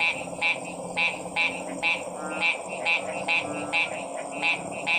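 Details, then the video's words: Frog calls presented as stress-relieving sounds, harsh rattling croaks coming about every half second in a fairly even rhythm, set against constant background hiss and faint low tones. "Stressed Relieving Sounds of 🐸 Frog's"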